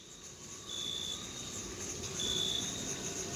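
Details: Crickets in a meadow in June, in summer, give a thin, high, steady trill over a soft hiss of background noise.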